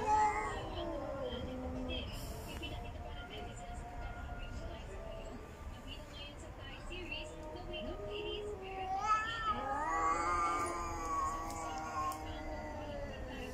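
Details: Angry female pet cat confronting another cat: low wavering growls and short moaning yowls, rising to a louder, higher wail near the end, mixed with a woman's voice telling her to stop fighting.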